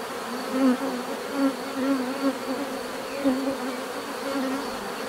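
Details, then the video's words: Bees hum in a steady swarm drone, with individual buzzes swelling and fading every second or so as they pass close. "bees therapy relaxing natural buzzing sound"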